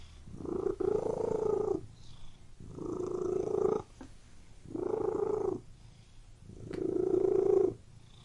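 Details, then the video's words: Cat purring in four sustained low rumbling phrases of roughly a second and a half each, separated by brief breathing gaps; no other clear sounds. "WHEN CAT MEOWING AND PURRING"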